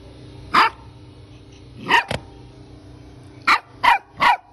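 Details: Puppies barking: five sharp, high yelping barks, each sweeping up quickly at the start. One is followed at once by a second, and the last three come in a quick run, over a quiet background.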